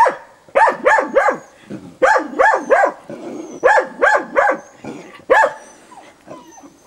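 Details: Safir, a dog, barks at a wild boar on 29 December 2017, lively yet cautious: bursts of two to four sharp barks with short pauses between groups, over faint background hiss.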